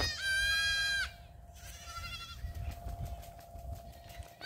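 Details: Young black goats on a farm near Gimhae, South Korea, recorded 8 July 2022 while running about: one loud, strained, nasal bleat lasting about a second, then a fainter, shorter bleat, over steady low rumble and a thin background hum.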